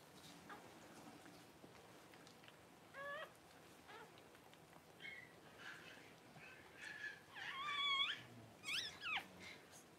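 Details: Cavalier King Charles Spaniel mother Paris whelping her first puppies: newborns give a run of high, wavering squeaks and whines in short bursts, growing louder and more frequent toward the end, over quiet room noise.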